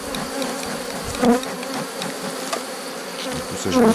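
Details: A drone-laying honey bee hive during its rescue, 3 May 2021. A softer background hum of the colony, with two brief louder swells of buzzing and light ticking from hive work.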